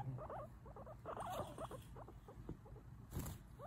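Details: Pet guinea pig chatting away indoors: a soft, quick run of short squeaky chirps and murmurs, fading toward the end, with people talking quietly nearby.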